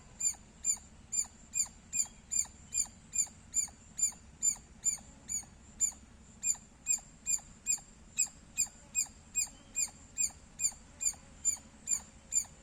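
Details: A squirrel chirps loudly and persistently, with crisp, high, clipped notes repeating at a steady pace of about two or three each second, and nothing else prominent.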